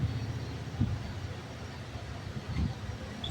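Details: Low rumbling traffic and engine noise outdoors with a couple of soft thuds, no animal sound.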